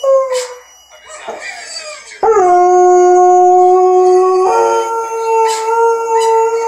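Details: Pet Doberman howling as it sings to its owners, described as a very sad song: a short wavering note, then a long steady, loud, tonal howl that steps up to a higher held pitch partway through.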